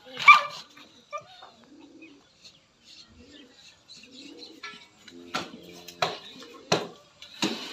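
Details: A Rottweiler gives a series of sharp barks at a Labrador puppy, with human voices in the background.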